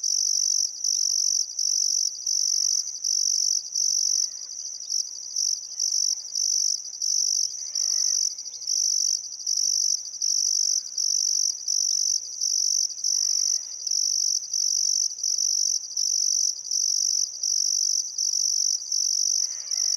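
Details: Crickets at a river in Outback Queensland's Welford National Park, Australia, on a calm summer sunset: rapid high chirping in regular bursts about once a second, with several birds giving short chattering and whistled calls in the background.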